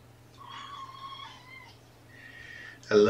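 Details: Kittens meowing indoors at Purrfect Pals: mama Seraphina's litter of four, three boys and one girl, from a Lewis County, Washington shelter. Two squeaky, steady meows, the first lower and longer, the second higher, then a sudden loud noise.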